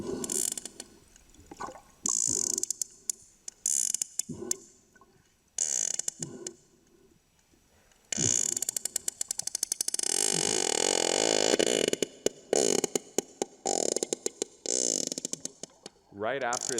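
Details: A sperm whale calf, recorded underwater at very close range as it clicks at the camera and nearly bumps it, gives rapid, hard clicks in bursts and dense trains, some blurring into a buzz, over bubbly water noise.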